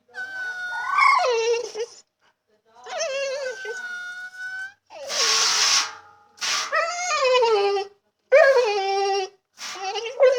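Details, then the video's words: Female dog indoors whining in distress, kept from water she loves to chomp on; drawn-out harmonic whines that drop in pitch at their ends, mixed with a harsh breathy burst and quick sniffing huffs. "Dog In Distress! (Funny whining noises!)"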